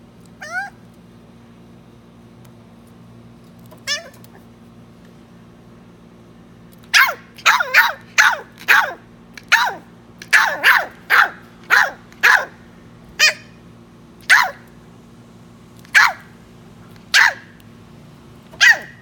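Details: Three-month-old West Highland White Terrier puppy indoors giving two early yips, then a run of about sixteen sharp, high barks with falling tones, spaced roughly every half second to a second, over a faint steady hum.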